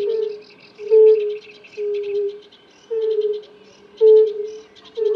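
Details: Male European fire-bellied toads calling to mate, several together: drawn-out, hollow 'ooh' notes about once a second, slightly falling in pitch, over background bird twittering.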